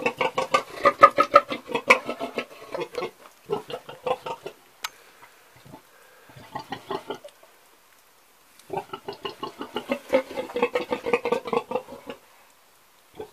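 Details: Old pig grunting in quick bursts of short, harmonic grunts, about three per second. A first burst runs for roughly four seconds, then a few scattered grunts and a near-silent stretch, then a second long burst of rapid grunting.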